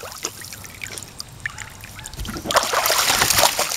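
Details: Water trickling and splashing in a pool, with no animal voice heard, only faint speech-like sounds in the background.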